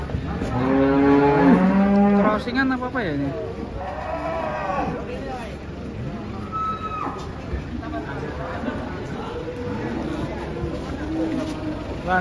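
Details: Large cattle being unloaded from a truck in Indonesia give a loud, deep, drawn-out moo in the first seconds, followed by softer lowing, background voices and engine rumble.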